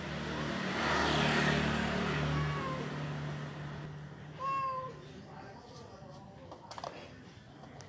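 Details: A Persian cat mating with a village (kampung) cat gives a short, tonal meow over a rumble of passing traffic.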